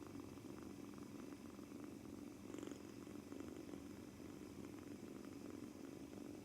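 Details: Two-month-old male British Shorthair kitten, kneading on its first day in a new home, seemingly nervous, purring continuously: a low, steady, softly pulsing rumble with faint rustling on top, indoors.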